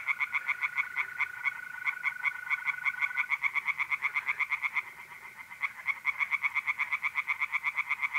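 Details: Several tree frogs calling at night from a pond in north-east Italy in mid-April, a fast stream of sharp pulses overlapping into a rattling chorus, over the continuous even trill of mole crickets that fades after a few seconds.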